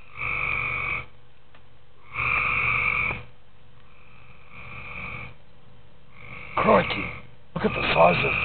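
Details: Tree frogs at night in a pool, sounding off with drawn-out buzzy croaks about a second long, spaced roughly two seconds apart, ending with rougher, harsher croaks up close.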